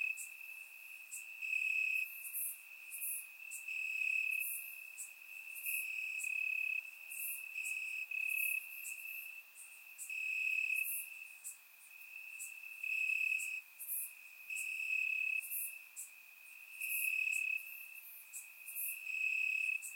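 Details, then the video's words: Many crickets sing from the grass on a warm summer night in Bulgaria, surround microphone; a constant piercing trill throbs in waves while sharp, higher chirps repeat roughly every second throughout. "Cricket Sounds - Crickets Chirping at Night"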